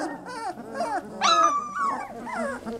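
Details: Three-week-old Lab puppies whimper together. Soft, wavering whines overlap, and one longer, brighter squeal rises in the middle. Faint background murmur.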